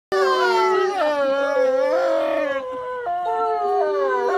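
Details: Wolves at Asahiyama Zoo in Japan howling together, several overlapping sustained tonal voices sliding up and down, one holding a steady mid pitch while others waver and break.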